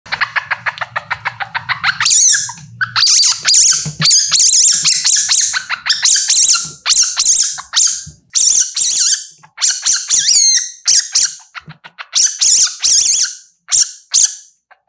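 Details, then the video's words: Baby civet giving a run of high, thin squeaks and chirps in rapid bursts, some rising and falling, with brief pauses between clusters; a low hum underlies the first two seconds. "Civet Sound, Baby Civet"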